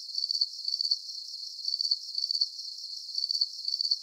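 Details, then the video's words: Continuous cricket chorus: bright, high-pitched pulsed chirps in quick clusters, spaced by brief gaps roughly every half second, with a faint steady hiss between bursts and nothing in the low range. "Calming Cricket Sounds"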